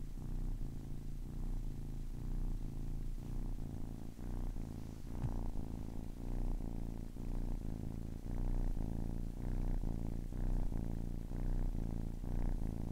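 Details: Ten-week-old kitten purring, a deep continuous rumble pulsing with each breath about once a second, alternating inhale and exhale phases, close and steady with no other sounds.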